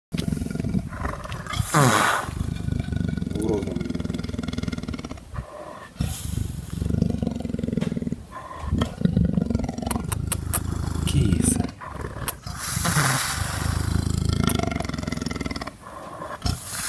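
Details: A zoo-kept Amur leopard (Panthera pardus orientalis) at a Sychevo reserve gives deep, rough growling calls in low, throaty bursts, with human voices at times.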